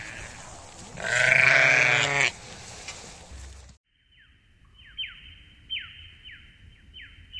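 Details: Sheep giving one loud, harsh, quavering bleat lasting about a second, followed after a short silence by a different series of sharp falling chirps repeated roughly every half second.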